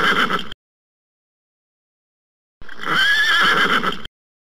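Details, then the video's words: Horse whinnying: a brief tail of one call, silence, then a fuller quavering whinny about one and a half seconds long with a wavering high tone. "HORSE SOUNDS"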